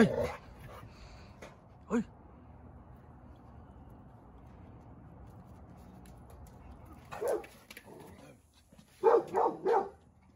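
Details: Seven-month-old male Dogo Argentino losing his temper: a long quiet stretch with one isolated bark, then a short bark near the end and a quick cluster of three rough barks.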